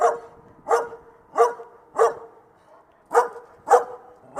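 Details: Dog barking outdoors in a clear, steady series: six sharp, mid-pitched woofs roughly every two-thirds of a second, with a short pause before the last two, over a quiet background.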